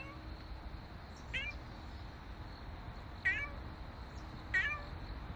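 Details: Nero, a stray street cat, gives three short meows spaced one to two seconds apart, each bright and slightly falling in pitch, over a steady low rumble of traffic-like background noise.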